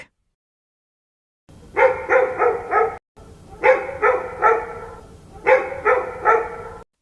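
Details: Dog barking in three bursts of about four quick, sharp barks each, the bursts spaced roughly two seconds apart, with a faint background hum.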